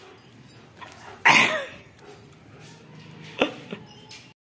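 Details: German Shepherd Dog named Bruno giving one sharp, loud bark with a strong harmonic band, followed by a fainter brief sound a couple of seconds later over a quiet, hissy indoor background.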